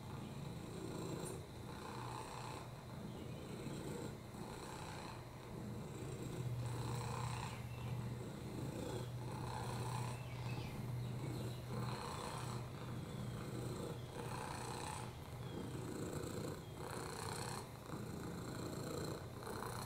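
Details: Rescued cat Oliver, on a lap, purring; he has a broken hip, FIV and upper respiratory infections. A deep droning rumble runs throughout, with soft airy pulses recurring about every one and a half to two seconds.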